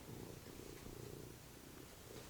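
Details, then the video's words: Male house cat lying on the sofa before dinner, purring indoors: an even, continuous low drone with gentle regular pulsing throughout, a faint click at the very end. "The Cat Purring"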